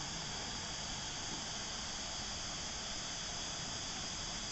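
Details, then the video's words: Cicadas calling at Christmas time, a dense continuous hissing drone held steadily throughout with no breaks, bright and high with a strong band near the top, over faint low rumble. "Cicada calls"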